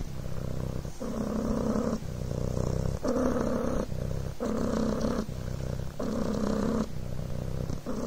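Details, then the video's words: Continuous purring by a Devon Rex kitten called Coco on a blanket: low, rattling hum in regular breath-linked bursts of about one second, repeated steadily over eight seconds without pause. "PURRING BLANKET"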